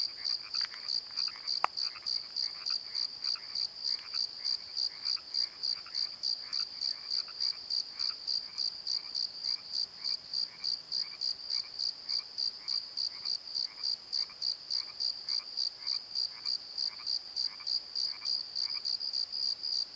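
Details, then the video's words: Crickets at night by the Pozo Night Tree in a valley bottom, shrill pulsed chirps repeating about three times a second in a steady stream, with softer lower croaking pulses beneath and one sharp click early on. "Crickets and Croaks!"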